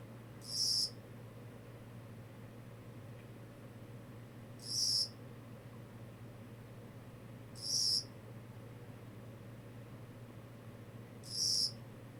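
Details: Kogata cricket producing four short, bright, high-pitched chirps at intervals of three to four seconds, set against a quiet background with a low steady hum.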